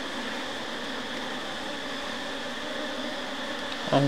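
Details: Asian honey bees (Apis cerana) at a hive just after honey harvest, as a frame is put back into the beehive; a steady, even droning hum with layered tones throughout, ending with a short knock of handling.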